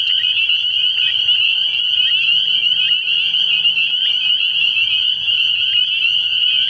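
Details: Night chorus of many spring peepers at a pond early in the year, high-pitched peeps overlapping continuously into a ringing drone, with a faint low hum beneath.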